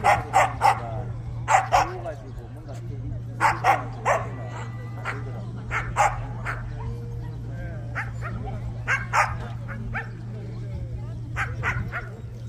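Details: Barking at the 67th Korea Jindo Dog Association championship for Korean Jindo dogs in Korea: short, forceful barks come in clusters of two or three throughout, separated by brief pauses, with crowd chatter and a constant low hum beneath.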